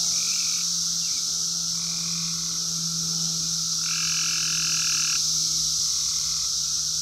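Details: Periodical cicadas, the 17-year Brood X emerging in the wild in 2021, phone recording: a constant high droning wall of sound, with lower buzzy phrases switching on and off, one longer burst midway.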